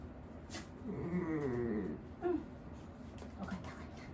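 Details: Low, wavering groan from Wanta, an old dog in home nursing care who tends to cry out and flail when awake, followed by a brief higher whimper; faint room noise.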